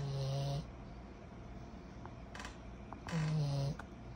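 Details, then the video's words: A sleeping 14-month-old pug puppy named Kyro lets out two low, grating snores, one at the start and another about three seconds later, with soft clicks and a quiet room hum in the pause between. "Our SNORING 14 months old PUG PUPPY"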